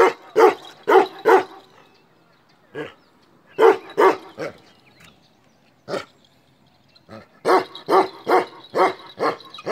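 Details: Black male Kashmiri Eksaya guardian dog of the Himalaya barks in irregular bursts: three quick barks, scattered single barks with pauses, then a fast closing run of about six loud barks.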